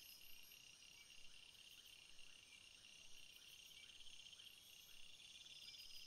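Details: A field of flowers alive with crickets: a thick, uninterrupted high chorus of overlapping trills and faint chirps, fairly even in loudness throughout.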